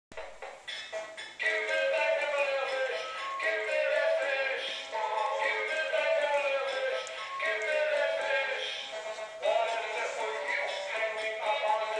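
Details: A toy singing fish plays a synthetic male-voiced song with backing music indoors, no animal sounds.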